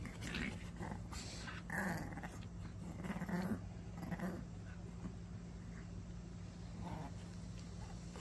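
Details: Ten-year-old Maltese, a small dog, growling while playing tug; rough, low growling bursts cluster between about two and four seconds, set against a steady low engine-like hum throughout.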